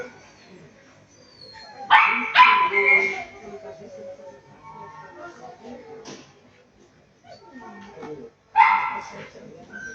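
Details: Shetland Sheepdog at a dog sports competition, sharp high barks in short bursts of two, then a pause and another burst, with a person speaking and background noise between.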